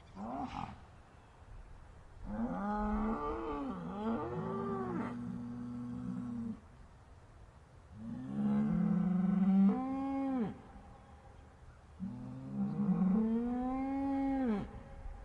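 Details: Cows, described as sad and upset, give three long, drawn-out moos, each a low droning tone that bends and wavers with rich overtones, separated by short pauses of quiet.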